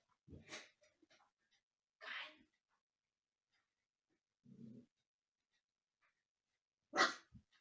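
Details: Umka, a young husky at home teasing the resident cats and barking from the sofa, lets out three short, sharp barks spaced several seconds apart, with a low muffled thump between them in a quiet room.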